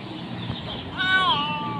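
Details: Hungry kitten meowing while waiting for its meal: one drawn-out meow that rises, then slides down and trails off, over a person's voice in Hindi and English and low room noise.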